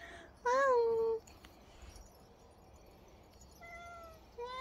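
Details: Cat known as a dog-like pet giving one clear meow with a brief rising start and a level tail. Quieter, fainter tonal mews and a soft tick follow over a near-silent background.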